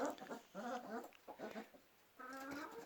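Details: Kangal puppies growing up together with chickens in a village during snowfall; thin, high whining whimpers in several short harmonic bursts, each under a second, with brief quiet gaps between them.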